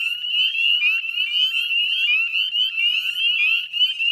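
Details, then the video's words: Northern spring peepers chorusing at dusk, 18 May 2020, West Chezzetcook salt marsh, Canada: sharp upslurred peeps tumble over one another, forming a bright, shrill, continuous trill with slight swells in loudness. "Northern Spring Peeper Chorus"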